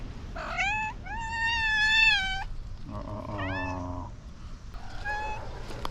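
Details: Angry domestic cat, riled up at another cat, giving a run of drawn-out, wavering meows with a rising yowl near the start and shorter upturned cries later, over a low indoor hum.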